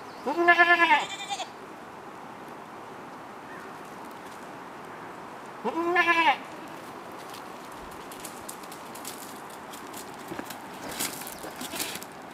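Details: Kiko-Boer doe calling her two-and-a-half-month-old kid to nurse, giving two quavering, nasal bleats about five seconds apart, followed by quiet rustling and faint background noise.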